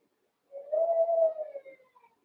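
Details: Young Cavalier King Charles Spaniel puppies in the Red Barn puppy pen, eight littermates wrestling and playing; one pup gives a single drawn-out, steady mid-pitched howling whine lasting about a second, then trailing off, with quiet surroundings.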